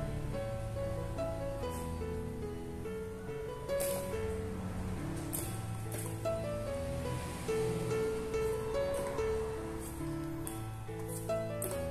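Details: Gentle plucked instrumental music with a soft melody and low accompaniment plays throughout.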